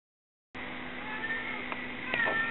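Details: Domestic mother cat meowing as she searches for her missing kittens; one short, slightly falling meow sounds near the end over a steady humming, engine-like background drone.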